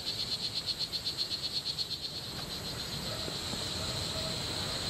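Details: Strawberry poison dart frog, one of two in the Costa Rican jungle, calling a rapid buzzy high-pitched series of short chirps, about four per second for two seconds, then stopping; low rustling noise beneath.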